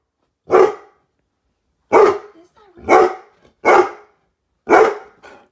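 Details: A Weimaraner reacting to a 12 ft Halloween skeleton outside the window gives five loud, deep barks at uneven intervals, each a sharp burst that quickly fades.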